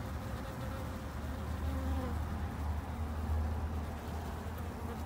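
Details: A low, throbbing hum of many Japanese honey bees at a garden hive in Japan, swelling and fading slightly, with faint higher wing whine above.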